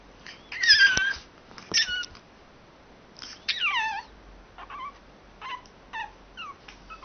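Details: Pug acting as an alarm clock indoors, giving high, squeaky whines and yelps with falling, sliding tones in short bursts, some notes sweeping downward, with quiet gaps between.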